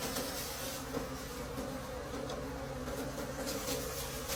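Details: Many wild forest bees humming continuously as the season's final honey is taken from the comb, a dense even drone with a low tonal core and soft rustling over it.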